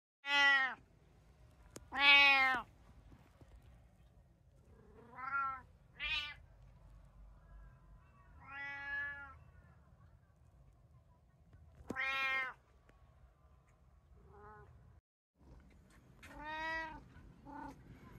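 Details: Domestic cat from a household of three, a brown tabby, a short-legged Munchkin and an Abyssinian, recorded 11 September 2024 during daily life: about nine loud, drawn-out meows, some rising then falling, in irregular bursts, quiet low hum between.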